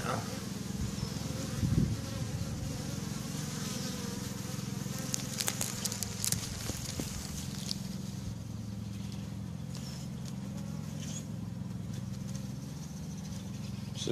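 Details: Honeybees active outside their hives on May 1st 2013, a steady low droning hum of many flying insects throughout with occasional louder passes, a faint voice near the start.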